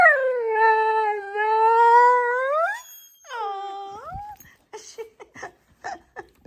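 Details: Female pet dog complaining: a long, sustained, tonal moan that wavers slightly and rises at its end, then a shorter swooping whine, followed by soft clicking and chewing sounds as she chews her nails.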